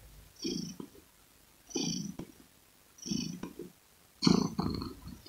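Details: Close, loud purring from a domestic cat, deep rumbling pulses rising and falling roughly every second and a half with quiet pauses between breaths, the last burst strongest.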